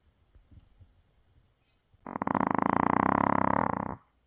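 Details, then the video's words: After a trip to the sea, a Maltese sleeps soundly and lets out a loud, two-second snore, a harsh buzzing rattle with fast pulses that swells then stops abruptly; faint soft noises precede it. "바다 갔다와서 떡실신한 말티즈 역대급 코골이"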